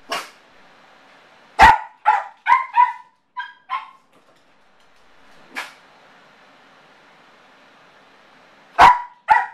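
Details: Yorkshire terrier, male, barking from separation anxiety after his owners leave: a quick cluster of five or six sharp barks, a pause, one lone bark, then a final loud double bark indoors.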